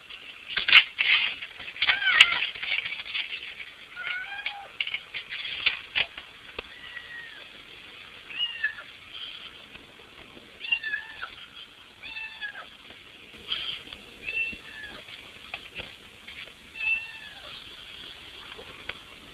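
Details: Pet cat at a window, attempting to get in the house, calling with a series of short, bent meows spaced a few seconds apart, among scraping and bumping noises.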